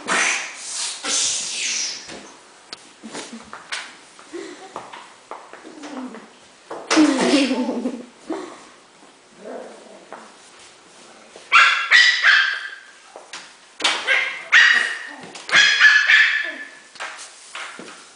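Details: Havanese puppies excited at play, giving short high yips and whimpering barks in irregular bursts, with a loud cluster of sharp yaps near the end and children talking softly in between.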